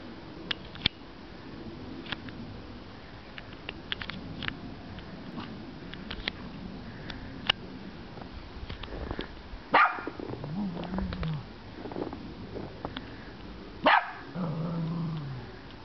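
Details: A Cavalier King Charles Spaniel in snow for the first time gives a few sharp barks, each trailing into a lower, whining tone.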